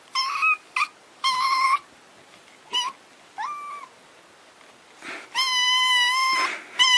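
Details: Kittens crying in a rapid series of high, thin mews, some short and clipped, others drawn out and wavering, with a long insistent wail near the end; several kittens calling.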